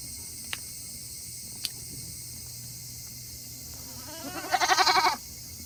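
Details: Tokara goats on a small farm in Yoshigake, Himi, Japan, on a hot 8 August 2021, eager to return to their shed after eating. A single wavering, pulsed bleat near the end follows quiet with two sharp clicks.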